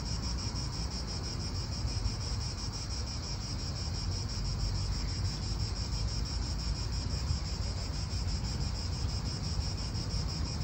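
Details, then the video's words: Cicadas in an Italian park: a continuous, even high-pitched buzzing drone holds steady throughout, while a strong low wind rumble fills the background. "Cicadas wind real atmosphere in an Italian park"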